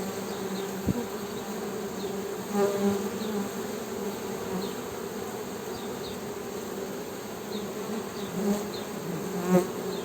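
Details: Honey bees humming in a steady low drone with a clear overtone above, swelling briefly now and then; faint high chirps and a sharp knock in the background.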